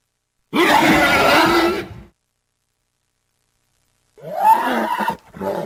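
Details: Horse sounds: a rough, groaning neigh of about one and a half seconds, silence, then a shorter rising, breathy whinny ending in quick snorts.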